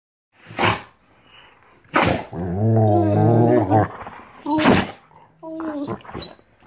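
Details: Two female Rottweilers playing and kissing on a bed during their morning ritual; a long low harmonic growl-moan with wavering pitch, framed by sharp rustling or thumping bursts and a short higher whine near the end.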